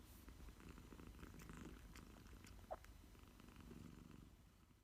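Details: Sleepy cat at nap time giving a continuous low, grainy purr, fairly even in strength, with one brief click partway through and the rumble easing toward the end.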